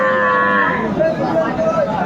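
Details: Cow with calf at Aftabganj cattle market, Dinajpur, on 25 August 2024: a short, low harmonic moo opens the clip, then fades under the busy hum of the market and voices nearby.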